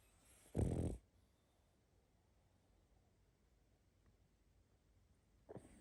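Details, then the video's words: Pug snoring in its sleep, a short rough snore near the start, then quiet, and a brief snuffle at the very end. "Храп и сопение мопса"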